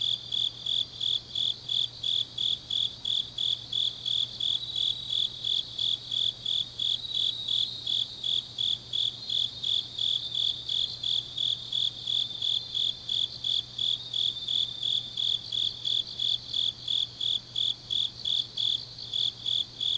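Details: Grass insects on a late autumn night in Changnyeong, South Gyeongsang Province: unbroken, high, rapid pulsed chirping from several insects, steady tempo throughout, over a soft low hum.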